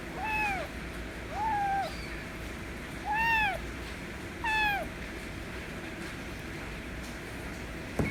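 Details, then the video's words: Insistent meowing by a white kitten demanding affection: four arched, ringing meows in rapid succession over about five seconds, then quiet with a sharp click at the end. "White Kitten Meowing Loud Demands Affection As Always"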